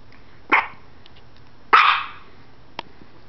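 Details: A puppy named Maxwell Marshall Biggers, humping his stuffed animal, lets out two short breathy yelps about a second apart, with a sharp click at the end.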